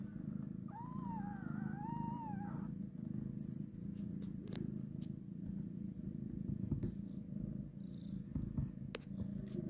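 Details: A mother cat carrying her newborn kitten for the first time purrs in a continuous deep, throbbing rumble. A single drawn-out, wavering mew rises over it early on, and faint clicks and rustles follow.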